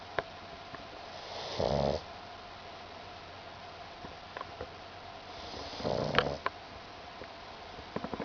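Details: Pug named Mekabu asleep and dreaming on a kotatsu futon, tongue flicking and legs paddling; soft, breathy snores in two slow bursts, with small clicks and rustles between them.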